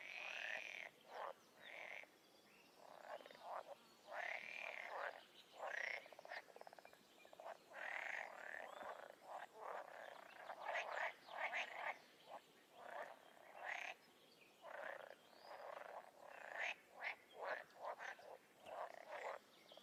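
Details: Chorus of wild frogs and toads: short raspy croaks and clicking bursts come in quick irregular runs, several callers overlapping, with brief quiet gaps scattered through the recording.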